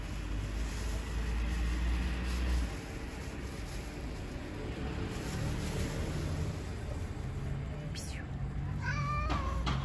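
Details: Street cat in an urban setting giving a brief, tonal, rising meow with clear harmonics near the end, over a steady low background rumble.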